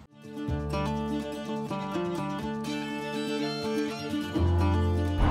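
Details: Plucked string music, mandolin and guitar, with no animal sounds.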